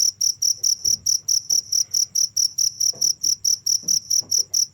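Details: Cricket chirping without pause: loud, high, pure chirps repeated steadily at over two per second, each pulse sharp and even, with faint low background hum beneath.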